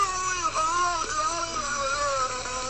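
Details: Beluga whale making human-like vocalizations, likened to a kazoo or radio static of someone talking; it stopped once sexually mature. Nasal, wavering tonal warbles rise and fall over a steady low hum.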